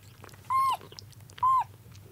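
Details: Two clear, level, high mews about a second apart from a rescued kitten fighting siblings for milk, second day after its rescue from a rainy road, each ending with a slight downward drop.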